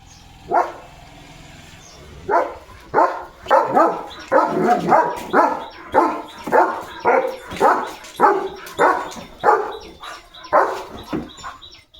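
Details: German Shepherd named Leo, a pet dog filmed in the morning while running around, barking in a steady series of loud, deep, clipped woofs, roughly two per second, after a lone opening bark; faint high tonal whine in the background.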